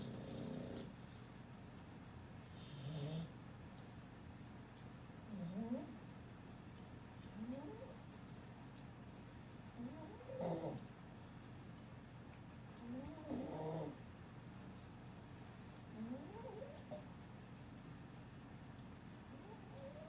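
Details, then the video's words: Sleeping dog worn out from playing, snoring through a longer stretch: low wheezy breaths with faint rising whistles, some louder snorts around the middle, rhythm looser and uneven. "هل سمعت شخير الكلاب"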